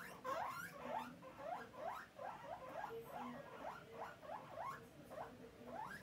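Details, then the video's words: Guinea pig begging for food, a quick chain of short rising chirpy squeaks, about two each second, fairly soft and evenly repeated over faint background hiss. "Guinea pig asking for food"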